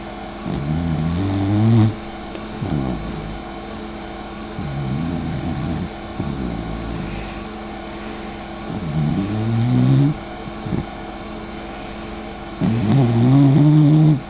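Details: Sleeping dachshund Mika, sister of the dachshund Eva, snores heavily at home. Deep rumbling breaths rise and fall in long grating bursts, some lasting nearly two seconds, separated by quieter pauses over a low background drone.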